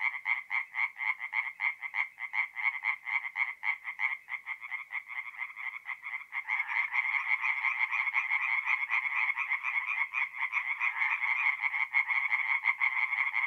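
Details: Forest pond in north-east Italy at night in mid-April, tree frogs singing: distinct rapid croak pulses at first, then more frogs join midway and the calls merge into a louder, denser continuous chorus.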